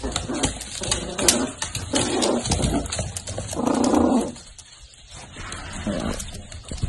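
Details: A miniature dachshund kept by a breeder produces a run of short, muffled yaps and whines in uneven bursts, pausing briefly near the end, inside a small room with faint human voices.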